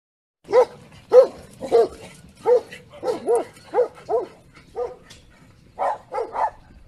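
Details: Komondor, a big sheepdog, barking in a series of about eleven short, deep barks, irregularly spaced over several seconds, each bark with a clear tonal core, with no other sounds intruding.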